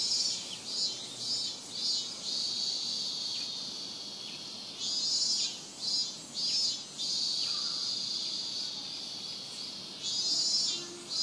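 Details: Robust cicada at Rokugo Shrine, Ota Ward, Tokyo, recorded on a Sony PCM-M10: loud buzzy phrases swelling and pulsing in repeated bursts over a continuous high insect drone, with a brief faint lower chirp.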